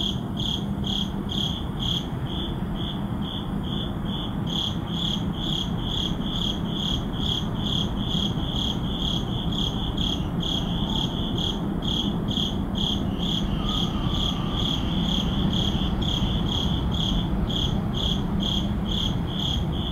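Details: Urban neighborhood at midnight: crickets keep up an even train of bright, high chirps, about two per second, with a second fainter caller at times, set against continuous low traffic-like rumble.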